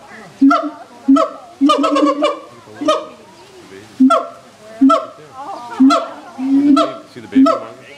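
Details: Captive siamangs at a zoo calling: loud honk-like barks in uneven bursts, some notes doubled or clustered, with brief pauses between and quiet background voices.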